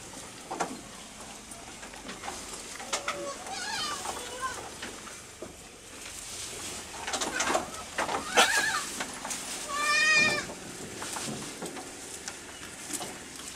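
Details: Small farm goats feeding quickly in the evening; a few short, shaky bleats rise above busy chewing and rustling, with brief bursts of human voice nearby.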